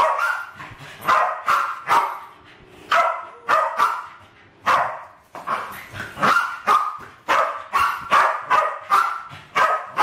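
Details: Two Westies aged around seven and eight attack balloons in a home kitchen, filmed in 2012. Irregular volleys of shrill, punchy barks come roughly every half second, with a few brief lulls between the bursts.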